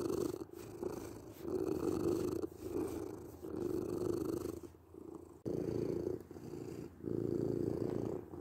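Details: Domestic cat purring steadily in low rumbling bouts of one to two seconds, broken by short pauses for breath, with a faint hiss in the background; intended for sleep and relaxation.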